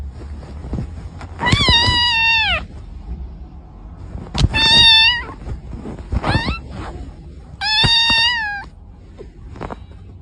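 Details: Domestic cat meowing three times, each cry about a second long, starting bright then sliding downward, with a short chirpy mew between them over steady background noise and scattered clicks.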